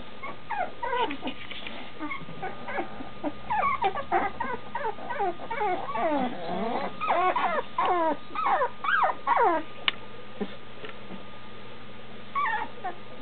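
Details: Standard Schnauzer puppies nearly two weeks old, almost walking with eyes opening, whimpering in a whelping box for their mother just outside. Many overlapping high, rising-and-falling whines and squeaks come in rapid, irregular bursts, with a steady electrical hum beneath.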